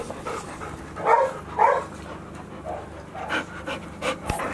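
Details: Golden Retriever puppy, 169 days old, filmed on 11 October 2018 in the evening. Breathy, uneven panting bursts, two stronger puffs near the start and softer ones after, over a low steady hum.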